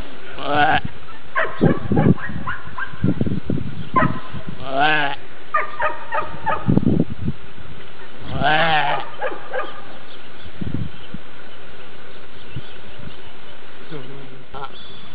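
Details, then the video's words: Racka sheep at the birth of a lamb; several short wavering bleats with stacked harmonics come in bursts across the first nine seconds, mixed with bumps and handling noise, followed by a quieter stretch of rustling. "Kis racka születik"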